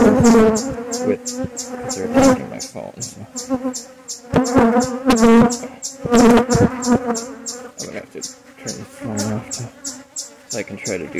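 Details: Honey bees of a relocated hive under inspection: strong droning hum that surges and fades in waves, with a steady high ticking in the background and a person's voice briefly heard.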